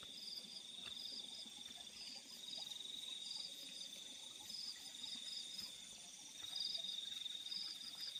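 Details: Field crickets at night producing short, high-pitched pulsed chirp bursts at irregular spacing, with a constant shrill insect drone underneath and no other noticeable sounds.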